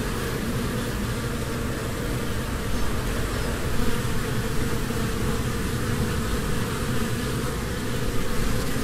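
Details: Honeybees in spring flitting among flowers while gathering nectar and pollen: a dense, steady, low droning hum with little change in pitch or volume throughout.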